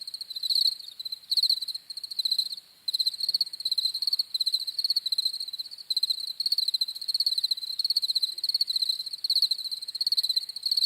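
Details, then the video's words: Several crickets chirp in quick, high, pulsing trills; bursts run together into a steady chorus after a quieter opening, nothing else audible. "CRICKETS CHIRPING SOUNDS"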